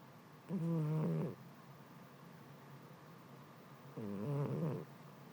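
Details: Domestic cat fast asleep and snoring, overcome by the heat indoors: two drawn-out, low buzzy snores with a rough harmonic rasp, each lasting under a second, separated by about three seconds of quiet breathing hiss.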